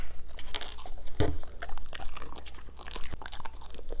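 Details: German Shepherds chomping on green foods in a small indoor room; rapid crisp crunches and chewing throughout the short stretch, one heavy bite just after one second.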